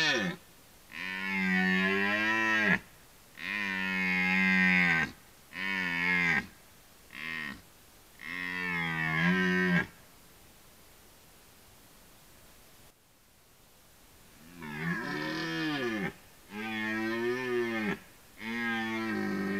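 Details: Forest red deer in rut, roaring repeatedly: five loud, drawn-out, rich bellows in quick succession, a quiet pause of several seconds, then four more roars that swell and waver in pitch.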